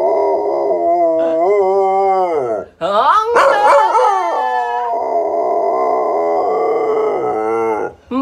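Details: A singing dog and its owner vocalise together: long, sustained harmonic howls that bend up and down in pitch, with a rough, noisy burst in the middle and a brief pause before the howling resumes.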